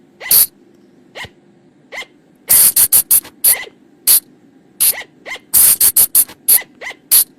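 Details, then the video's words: Flying lemur sound played to lure them at night in the forest; bright snapping clicks in irregular clusters, interspersed with brief rising chirps roughly every second, against a constant low droning hum. "เสียงต่อบ่างป่า หรือพุงจง,พะจง flying lemur sound"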